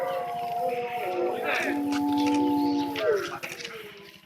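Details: Grey wolves at a Tokyo-area zoo, Tama Zoological Park, around 3 pm, sustain overlapping steady howls, one low held note prominent, while other sounds intrude in the middle before the chorus fades.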